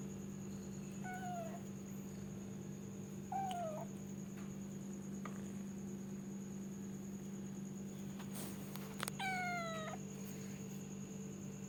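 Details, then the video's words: Domestic cat giving four short meows with falling pitch, spaced a few seconds apart, over a steady electrical hum and low background noise. "suara kucing mendengkur meow mrrp purr"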